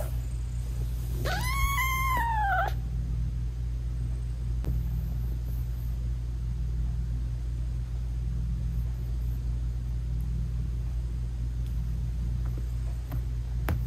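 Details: Mother British Shorthair cat with newborn kittens whose eyes are still closed, meowing to them as she nurses; a single arched, tonal meow lasting about a second and a half, then quiet with a steady low background rumble.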